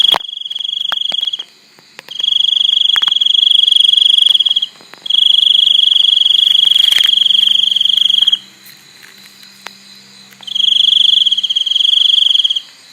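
A cricket trills in long, steady high-pitched bursts separated by brief pauses.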